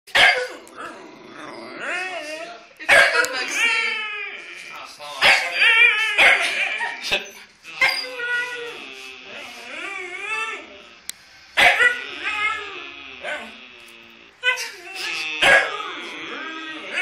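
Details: Two Huskies calling: long, wavering, howl-like vocalizations that rise and fall, repeated in bouts every few seconds, with short sharp yips between them and a brief click.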